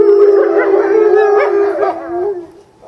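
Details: Eastern timber wolf family at a zoo in Japan in February, a female separated during breeding season; a steady sustained howl with wavering voices above, fading out toward the end.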